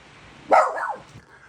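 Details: A single sharp bark from a pet dog, rising and then dropping away, followed by a soft trailing whine.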